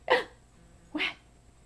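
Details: Dog bark from one of two pets, Sparkles, a four-month-old Mini Bull, or Princess, a fifteen-month-old Toy Fox Terrier: two short, sharp barks about a second apart, the second slightly lower, in an otherwise quiet room.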